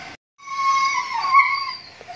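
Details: A single long, drawn-out whine from a Siberian Husky during mating. It is steady and nasal, swells in the middle and fades at the end, and follows a short click-like sound at the start.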